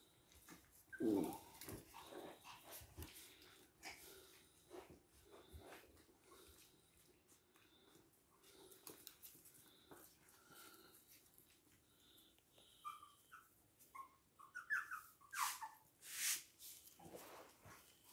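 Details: Toy and miniature poodles recorded indoors at Hahnstätten on 19 February 2022; soft, thin whimpering whines rise briefly near the end amid scattered rustles, clicks and light household knocks.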